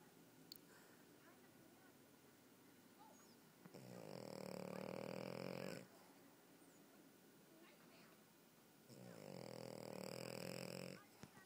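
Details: French Bulldog snoring: two long, rasping, rumbling snores, each lasting about two seconds and spaced roughly five seconds apart, with faint quiet breathing between them.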